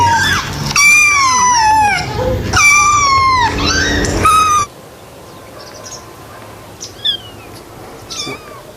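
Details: Kitten meowing three times in quick succession, each call wavering then sliding downward, the cries overlapping slightly; afterwards a quiet stretch with a few faint chirps and clicks.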